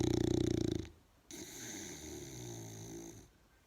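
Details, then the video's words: A big bull snoring while asleep: a loud, pulsing, low harmonic snore for almost a second, a brief pause, then a softer, longer drawn breath with steady low tones. "Snoring big bull"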